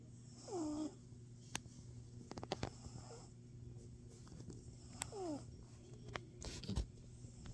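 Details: Domestic cat snoring, recorded 24 February 2026 at 1:15 PM: two short whistled squeaks that slide downward on the breath, about four and a half seconds apart, over a steady low hum with scattered soft clicks and taps.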